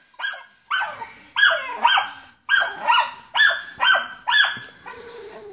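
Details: German Hunting Terrier on a wild boar hunt, giving sharp ringing barks in uneven bursts of two or three, with short pauses between groups.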